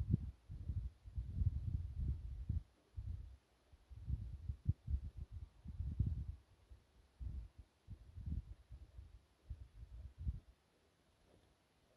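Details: Only low, irregular thumping rumbles are heard, like wind buffeting or handling noise, with no clear animal call.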